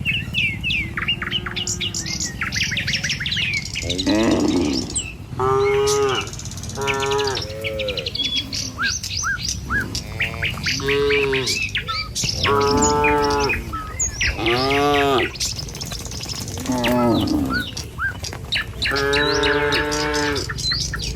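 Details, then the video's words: Moos from a herd of tame cattle on a morning walk down a village road to the pen. Short, arched lowing calls recur roughly every two to three seconds, mixed with busy bird chirps and a constant low background rumble. "Suara Sapi Moou Sepanjang Jalan Menuju Kandang"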